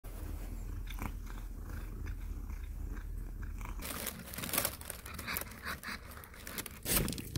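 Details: Domestic cat purring with a low, steady rumble for about four seconds, followed by sharp crunching and rustling noises that drown out the purr.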